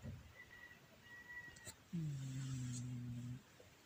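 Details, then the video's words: Loud snoring from Shakirah the pet cat, captured with a Samsung Galaxy A10s: one steady, deep, buzzing breath of about one and a half seconds after a brief tap and quiet room noise. "Shakirah the snoring cat"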